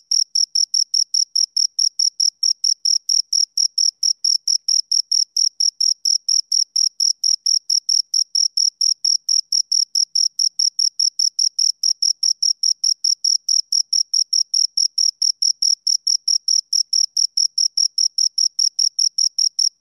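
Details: Two crickets chirping steadily for a long stretch: bright, high-pitched pulses repeated evenly about twice a second, each with a faint upper overtone, against a completely quiet background.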